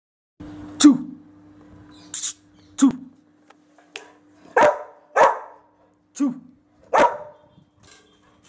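A Rottweiler gives deep, loud single barks at uneven intervals, a few seconds apart.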